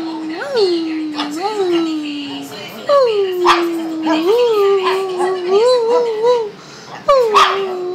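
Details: Shih Tzu dog producing a long, moaning, whine-like vocal that wavers up and down in pitch, almost like talking, broken by short pauses and a final sharp falling cry.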